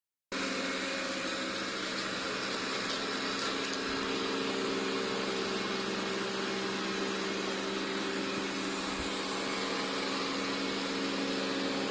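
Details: A steady mechanical hum, like a fan or air conditioner, with no animal calls.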